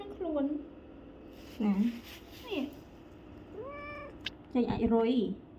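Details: House cat complaining while its ears are cleaned, one of four cats groomed; a string of five or six loud, low, wailing meows, some bending downward and one rising, in a small indoor room.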